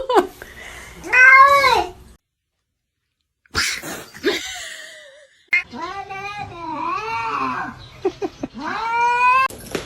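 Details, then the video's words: A kitten meowing indoors: drawn-out, wavering meows with rising-then-falling pitch, several in a row after a short silence, with a woman's voice exclaiming. "Kitten meowing"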